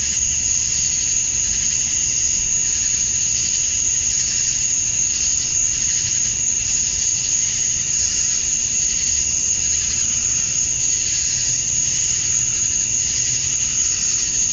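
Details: Male cicadas chirping to attract females at summer dusk in Georgia, USA: a steady, dense, high-pitched shrill drone with a bright sustained tone on top and faint slow pulsing beneath, unbroken throughout.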